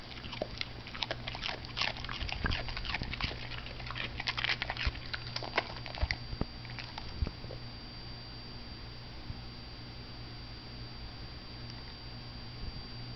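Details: Female pet dog munching broccoli in a small room; a busy burst of crisp crunching bites for the first seven seconds, then fading to scattered clicks and a quiet low hum.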